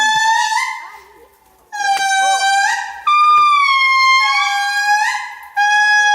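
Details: Indri giving their morning calls in Andasibe-Mantadia National Park, Madagascar, 2018: loud, pure, wailing notes, each held and then stepping upward in pitch, in overlapping bursts separated by short pauses, strongly harmonic and trumpet-like.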